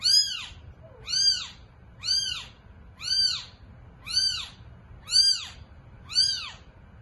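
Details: Seven steady, piercing mews, each a quick rise and fall, come about once a second from a domestic cat as eight kittens are born; the room is otherwise quiet.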